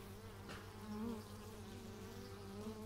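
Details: Several bees captured with an x/y stereo microphone; a continuous low hum with wavering overtones swells briefly as one insect flies near.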